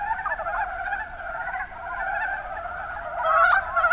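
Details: Brief stretch of Mountain brown frogs, Rana ornativentris, in Kumamoto's Kuma Basin, Japan: overlapping pulsed, chuckling croaks in a continuous chorus, building to a louder, sharper burst near the end.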